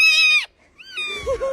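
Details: Displeased domestic cat giving a loud, harmonic cry that drops in pitch at its end, then after a brief pause a rising, drawn-out call with a low murmuring voice beneath.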